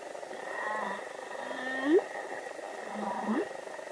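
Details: Humpback whale song: low moaning tones that swoop upward into short rising whoops, two phrases in a few seconds over a steady hiss.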